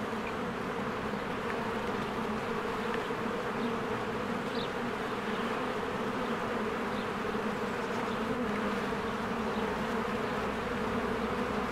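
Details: Swarms of honeybees at a beehive in spring, coming and going from the entrance. A continuous thick buzz fills the clip, layered low humming with scattered faint bird-like chirps high above.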